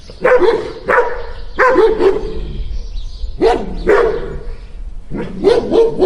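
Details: Two dogs barking loudly: sharp, rough barks coming singly and in pairs roughly every second, with a brief quiet gap midway.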